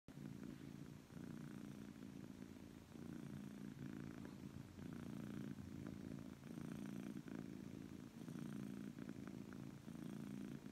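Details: Persian cat, happy and relaxed, purring loudly in a steady low rumble that swells and eases in rhythmic breaths roughly every second and a half, continuous throughout with no other clear sounds.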